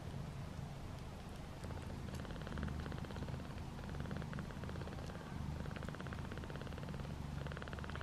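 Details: Piper, a mother cat nursing her five newborn kittens as they jostle for the best nipple; steady low rhythmic purring pulses run throughout, with faint rustling over the top.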